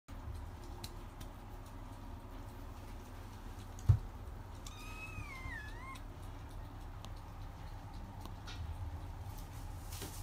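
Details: Female chinchilla golden Persian cat, born 8 September 2019, gives a single drawn-out meow midway through, first rising, then wavering and falling, in an otherwise quiet indoor room with a soft thump just before.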